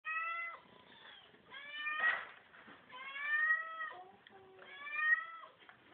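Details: Kittens playing indoors in a kitchen, giving clear drawn-out tonal meows, about four in six seconds, some bending down in pitch at the end, with soft scuffling between calls.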